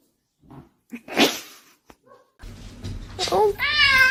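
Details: Domestic cat in a funny pet compilation: a short, bright, harmonic meow closes the excerpt after scattered knocks, rustles and brief thumps, with a low steady hum underneath.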